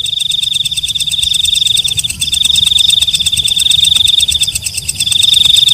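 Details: Night-calling walang kecek katydid producing an unbroken high, ringing, rapidly pulsed buzz, one short break near the middle, then resuming at full strength; faint low background rumble.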